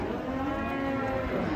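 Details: Agitated, raging cow giving a steady, sustained low moo, rich in harmonics and unbroken through the whole stretch.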